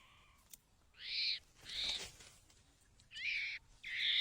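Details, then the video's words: Baby monkey chattering: four drawn-out, high, slightly harsh squeals, each about half a second long, separated by pauses over faint background hiss. "cute monkeybaby funny talk making funny noise"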